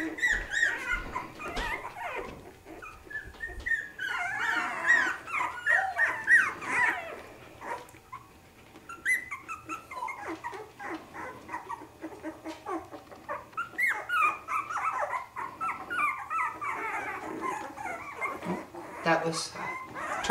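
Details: A litter of Havanese puppies at three weeks old, indoors. Bursts of high, squeaky whimpers and short yips come in clusters with quieter pauses between, over faint music.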